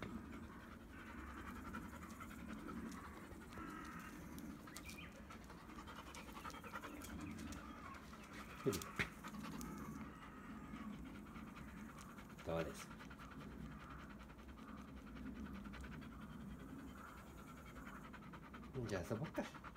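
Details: After brushing out a heap of shed undercoat on a hot day, black Labrador Retriever Bee-chan keeps panting in soft, regular breaths, mixed with scattered clicks, bumps and handling noises.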